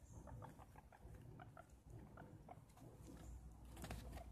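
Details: Excited guinea pig being offered food, repeating brief squeaky chirps in quick succession, some rising slightly, with rustling and handling noise growing toward the end.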